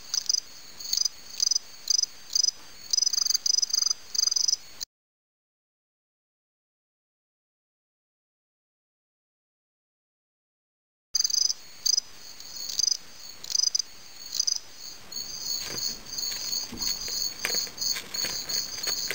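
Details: Fall field cricket (Gryllus pennsylvanicus) in a fight; clipped high chirps, a silent gap, then chirping resumes and grows into denser steady trilling with scattered clicks.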